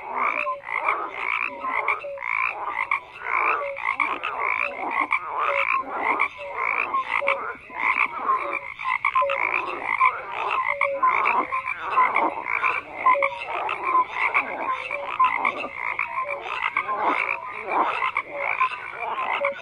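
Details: A thick frog chorus of croaks, with pulsed rattling calls repeating in quick bursts over several seconds and brief whistled tones scattered through the continuous din.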